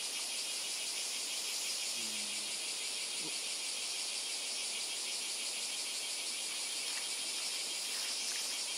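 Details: On Miyako Island, Japan, insects keep up a loud, constant high-pitched buzzing chorus with rapid pulses, broken only by a brief low humming tone around two seconds and a faint click.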